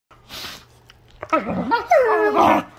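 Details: Two wolfdogs playing together, giving rough, wavering whine-growls that rise and fall in pitch, ending with a long sliding moan and a harsher burst, over a faint low hum.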